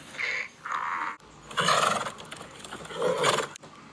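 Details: Donkey braying in harsh, alternating high and low notes, a rasping see-saw repeated over several cycles with a noisy, breathy texture.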